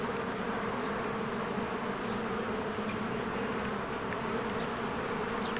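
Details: A spring beehive with swarms of honeybees flying in and out gives a continuous thick buzzing drone, even and unwavering. A few faint, brief bird chirps sit high above the hum. Recorded on a Canon EOS R.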